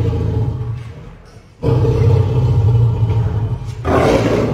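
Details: Lion and lioness pair, aged three years each, caged at Paragpur Zoo in Himachal Pradesh, India, after an animal exchange; a low, throaty roar fades, then a long powerful bout resumes and continues to the end.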